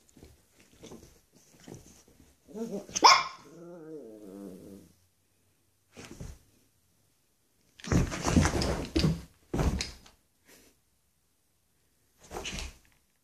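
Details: Pet dogs, a Xoloitzcuintli and a Bull Terrier, on their first day together. Scattered scuffling, a loud yelp-like bark sliding into a drawn-out growling whine, then rough bursts of barking and play noise.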